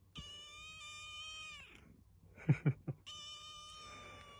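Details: Pet tuxedo kitten meowing at its owner indoors: a long steady meow falling at the end, then a few soft thumps, then a second long, level meow; otherwise a quiet room.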